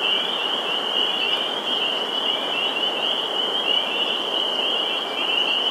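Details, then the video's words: Spring peeper chorus at a vernal pool in Sudbury, Massachusetts, on 11 April 2019: a dense, unbroken wall of high shrill peeps merging into one steady ringing band, with a soft background hiss. "Spring Peeper Chorus"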